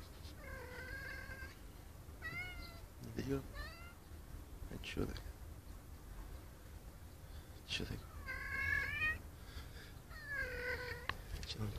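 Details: Tomcat calling a female cat with a series of quiet, drawn-out meows, some rising or bending in pitch, scattered through the recording, with people talking and clattering in the background.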